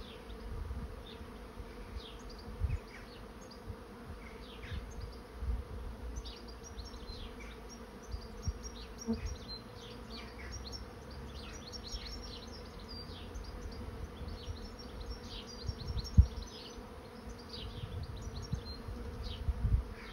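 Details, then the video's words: A swarm of honey bees moving into a trap hums steadily, with many high, quick bird chirps and twitters throughout. Occasional low gusts of wind and a sharp click are also heard. "Bee swarm moving into trap"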